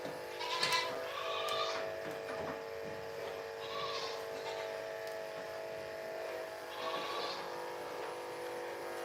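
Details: Goats at The Willful Goat Farm & Home, heard on a live farm stream: three short wavering bleats with bright upper overtones, spaced a few seconds apart, over a steady mechanical hum and light background clatter.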